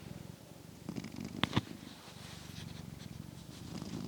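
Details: Male domestic cat asleep indoors, snoring and purring, recorded on a new wireless microphone; a soft continuous low rumbling breath, with two brief clicks near the middle.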